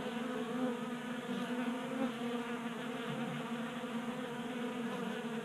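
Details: Many honey bees feeding at a 3D printed table-top feeder in a Colorado garage during warm January weather, forming a dense steady buzzing drone with layered humming tones that wobble as individual bees pass close.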